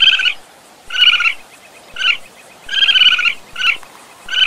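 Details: Raccoon calling in a sound-effect recording: nasal, harmonic squealing bursts, short and longer ones alternating, six within a few seconds, each separated by brief quiet gaps.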